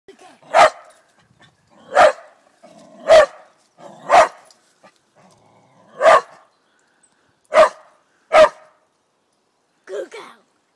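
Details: Bella, a dog described as fierce, barking: seven loud, sharp, broad barks spaced about one to two seconds apart, with a softer final bark near the end and quiet background.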